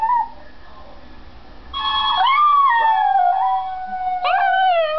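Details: Female Maltese dog howling for the first time, reacting to a recording of her sister howling: long wavering howls that rise then slowly fall, a short whimper first and a second howl near the end.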